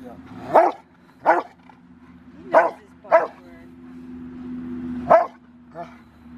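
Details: During training on January 20, 2020, River v Schwarzerwald, a five-year-old male dog preparing for a ZTP trial, gives five or six forceful barks at irregular spacing over a steady low hum, with a handler's commands close by.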